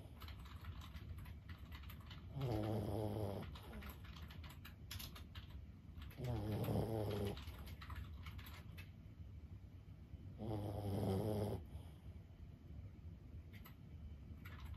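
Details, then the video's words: Senior Boston Terrier Lulu, 15 years old, snoring in her sleep: three low, rattling snores spaced about four seconds apart, with typing-like clicks in the background. "シニア犬15歳 作業のお供に最高のBGMはいかがですか？ブヒブヒ【Boston Terrier Lulu】"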